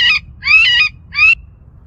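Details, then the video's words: Recorded rabbit distress call played on a roof in a suburban neighbourhood: three harsh, high, wavering screams in under two seconds. It drew four to six turkey vultures circling overhead. "that sound you just heard was a recording of a rabbit distress call and that's what started this whole thing all of a sudden"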